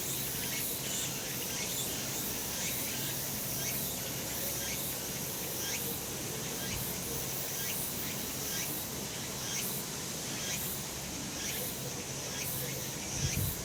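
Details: Cicada chorus from a sun-drenched summer mountain, recorded last month: steady high sizzling buzz with evenly spaced pulsing bursts, especially in the later seconds, a few faint chirps, and a low, constant outdoor hum underneath.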